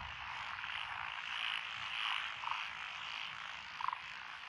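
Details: Frogs in lotus-planted rice fields near Echizen, Fukui, Japan, recorded 12 June 2021, the chorus made up of Japanese tree, black-spotted pond, wrinkled, Schlegel's green and forest green tree frogs; steady buzzy croaking punctuated by a few short, brighter chirped notes.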